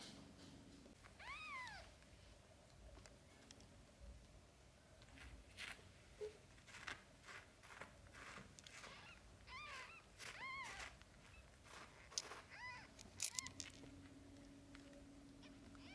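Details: Domestic cat indoors, shown with kittens in a mother-cat compilation; a series of arched, rising-then-falling meows with clear harmonics, several in quick succession near the end, among soft rustling and clicks in a small room.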